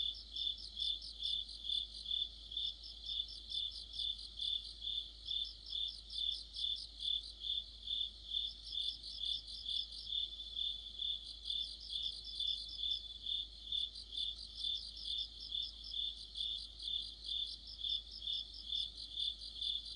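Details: Mid-autumn chorus of crickets and companion insects by a streetlight: a persistent ticking chirp about twice per second, joined by bursts of faster higher trills that come and go, over a quiet background.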